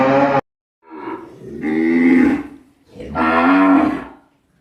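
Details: Cow mooing: a clipped end of one call, then two long, loud, drawn-out moos, each over a second, swelling and fading with a rough, nasal tone and a short pause between them.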